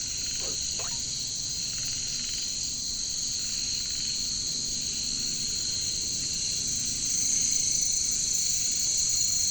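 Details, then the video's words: Jungle katydids (bush crickets) keep up a layered, steady high-pitched buzzing drone that swells slightly toward the end. Two quick faint lower chirps sound at the start. "bunyi caricangkas katydids bush crickets"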